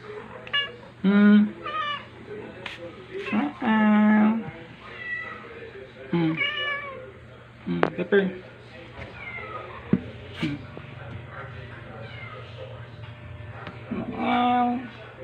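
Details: One-week-old male rescue kitten in temporary foster care, filmed 4 July 2022 during an introduction to a nursing black cat indoors; several short, high, insistent meows at irregular intervals, with a person speaking softly in between.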